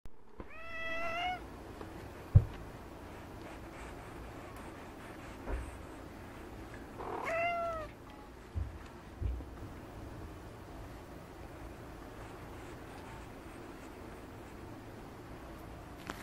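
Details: Munchkin cat indoors giving two short, clear meows, each rising then falling, several seconds apart, with occasional knocks and handling sounds over a steady low background hum.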